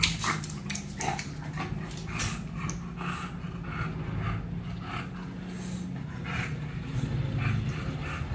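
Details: English bulldog puppy named Meatloaf, described as naughty and stubborn, heard indoors: a low, steady rumbling grumble runs throughout, broken by short snuffling, snorty bursts and a few soft whimper-like sounds.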